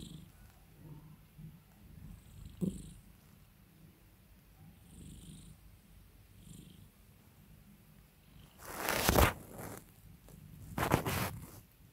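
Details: House cat purring as its owner soothes and pampers it; a quiet low purr carries on beneath two loud, harsh rustling bursts of handling near the end.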